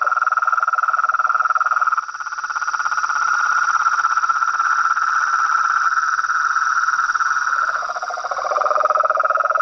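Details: Chorus of frogs and toads: dense, rapidly pulsed mid-pitched trills overlapping almost without a break, dipping briefly and shifting lower near the end, over a steady thin high whine throughout.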